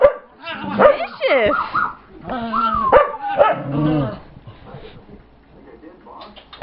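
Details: Pet dog Brittany growling in play while chasing another dog named Chase, with Gypsy joining in; short rising and falling whiny vocal bursts with harmonics, mixed with yips, then quieter rumbling and scuffling.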